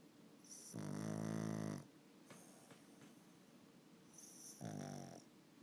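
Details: Pug and Boston Terrier mix dog snoring while asleep indoors: two loud, rough, buzzy inhaled snores about a second long, separated by a quieter breathing rasp, in a hushed room.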